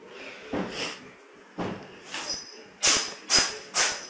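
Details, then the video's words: A cat sneezing: a couple of soft, breathy bursts, then three sharp, hissing sneezes in quick succession about half a second apart, each with a thin high whistle, over faint background noise. "Sneezing Cats"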